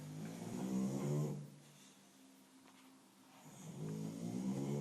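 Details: English Bulldog snoring indoors: two long, low, rattling rumbles, one at the start and one at the end, separated by a quieter stretch of soft breathing.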